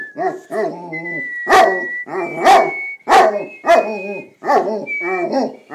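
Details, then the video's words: Newfoundland dog howling along to whistled O Canada, its voice wavering and bending up and down in rich harmonic bursts, close-spaced and repeated over the steady, high whistled anthem. "Newfoundland Sailor sings along with whistling of O Canada"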